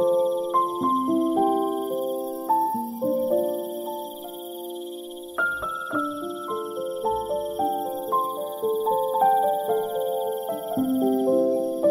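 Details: Soft piano-like keyboard music carries the whole passage, with sustained chords and a slowly stepping melody. No animal calls stand out anywhere beneath it.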